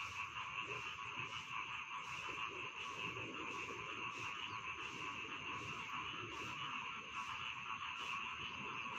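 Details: Rice field frogs heard as a soothing bedtime chorus: steady high trilling blends into a constant drone, punctuated by rhythmic croaks spaced about a second apart.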